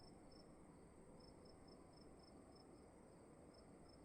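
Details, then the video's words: Indoor cricket sound: thin high chirps in short bursts every few tenths of a second, with a longer gap mid-sequence, under a persistent low hum. "Sound of emptiness and crickets in the room"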